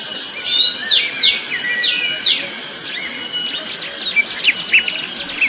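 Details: Cicada calling very loudly on Mount Pabangbon: a steady, shrill, high-pitched drone runs throughout, while several birds layer quick chirps and short whistled notes over it.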